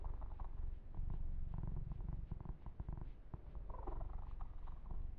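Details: Yumak, a male pet kitten, purring steadily while being massaged, a low continuous rumbling throb with soft rubbing and fur-stroking noises on top.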